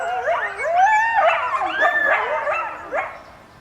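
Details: Coyote family answering sirens with a chorus of overlapping howls, one voice sliding upward into a long wavering note while others add high, bending yelps and yips.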